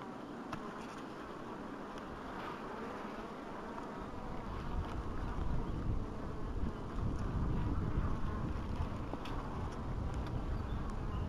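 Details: Honey bees at an apiary in 2012, a dense low humming buzz that swells louder after a few seconds and holds steady, with faint clicks and some wind noise over it.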